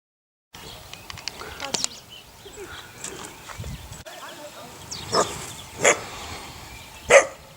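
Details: Eight-week-old puppies from a neighbour's dog's litter. After a stretch of faint chatter and rustling, three sharp, high yelping barks ring out roughly a second apart near the end.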